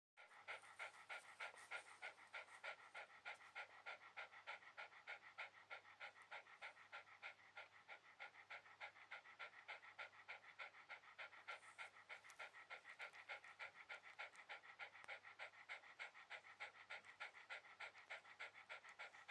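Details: Shiba Inu relaxing on a towel, panting steadily in quick, even breaths of about three per second that run through the whole stretch, with nothing else heard besides the dog's breathing.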